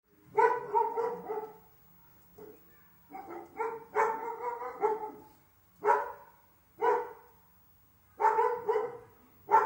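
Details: Two Dalmatians, a mother and daughter, erupt in excited barks and yelps when the family father's car stops in front of the house. Several bursts of rapid, harmonic barking come in clusters with short pauses between them.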